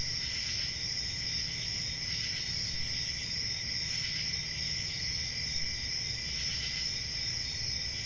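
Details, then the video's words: Summer night forest crickets keep up an unbroken shrill trill, layered high tones holding steady throughout, with a faint low background hum beneath. "Relaxing Cricket Sounds For Sleep Ambient Summer Night"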